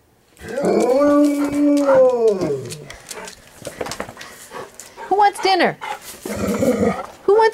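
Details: Elderly golden retrievers, three dogs aged 11 to 13, excitedly singing for their dinner indoors: a long wavering howl arching up and down for two seconds, then shorter yelping howls mixed with a woman repeatedly asking who wants dinner.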